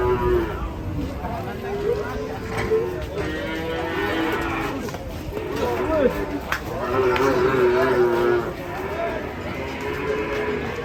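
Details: Cattle, a group unloaded from a truck and jumping down, give overlapping drawn-out moos, several voices layered and rising and falling through the clip, over a steady rumble of background noise and movement.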